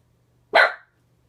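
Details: A single sharp, loud bark from Ginger, a pet dog reacting to the neighbor seen out the window, short and bright, over a quiet low hum.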